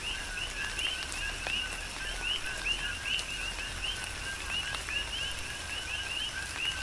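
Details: Rhythmic coqui frog chorus recorded in a tropical rain shower, Big Island, Hawaii: repeated two-part calls, a flat lower note and a rising whistled second note, given by several frogs at once above continuous hissing rain.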